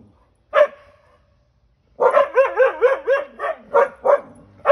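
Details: Siberian Huskies on a back deck, meeting a stray cat up close for the first time, give one bark, then a pause, then a run of quick wavering barks and yips repeated about three times a second.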